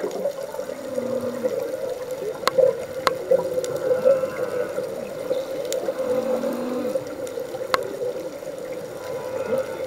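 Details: Humpback whales singing underwater while scuba diving off Hawaii; low moaning tones and faint sweeping upper notes sit under a steady droning hum, with sharp clicks and bubbly water noise throughout.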